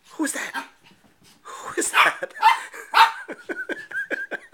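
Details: Bailey, a 4-month-old Shih Tzu, playing with his reflection, mixes rough breathy barks with a quick series of thin, whistly whimpers at a steady high pitch, several per second.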